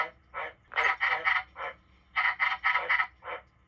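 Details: Indoor captive white-lipped tree frog giving two bursts of loud, raspy, clucking notes. A single note opens, then a tight series of four or five, a short gap, another series, and a final lone note.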